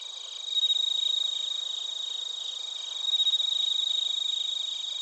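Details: Closer crickets, bell crickets and field crickets, at Narita, Chiba Prefecture, Japan, recorded on a TASCAM Portacapture X8: clear, pure ringing trills surging twice in loud pulsed bursts over a constant high shimmering chorus.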